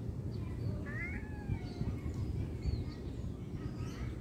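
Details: Cat giving short rising, harmonic meows near the start, followed by fainter high mews, over steady low rumbling background noise.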